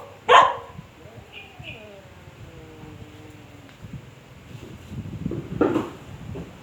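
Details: Dog barking at a cat: one sharp bark at the start, then a quiet stretch with faint tonal squeals and rustling, ending in a softer muffled bark.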